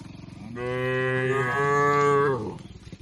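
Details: Tame cattle in a shed in a peaceful village setting give one long, steady moo of about two seconds, full and evenly pitched, with a slight dip midway and a soft fade at the end.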